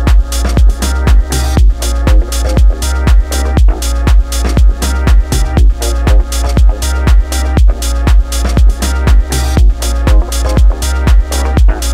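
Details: Loud electronic dance music with a steady thumping beat about twice a second; no animal sounds are heard.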